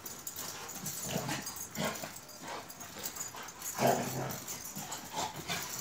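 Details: Akbash shepherd dogs Zeyna and Güdük Reis at play in Turkey, giving short throaty growls and grunts at intervals, the strongest burst near four seconds, over steady background hiss and scuffling.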